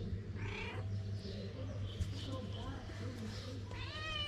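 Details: Hungry stray mother cat in Morocco pleading for food to nurse her kittens; a short meow near the start and a clear rising meow at the end, with soft voices and a low constant hum between.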